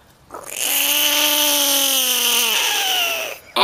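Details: A caught frog, described as the biggest one caught, lets out a single sustained scream about three seconds long. The tone is steady and harmonic and sinks slightly in pitch toward the end, then a short click follows.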